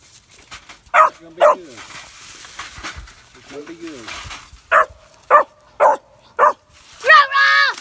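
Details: Young Kemmer Cur squirrel dog, three and a half months, faced with a caged squirrel: two barks, a pause with soft whining, then a quick run of four barks ending in a drawn-out yelping whine.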